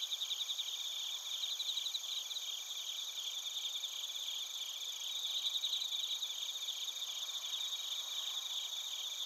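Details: Dense chorus of bell crickets and crickets in Narita, Chiba Prefecture, Japan, captured with a TASCAM Portacapture X8: bright, continuous high-pitched ringing under quick, rhythmic pulsing chirps, with a faint hiss of night air.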